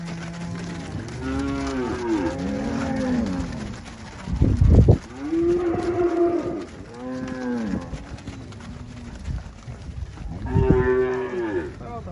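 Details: Angus cattle for sale on a farm in Palmeira dos Índios, Alagoas, Brazil: several overlapping low moos with arched, harmonic-rich tones, one louder short burst near the middle, and others drawn out.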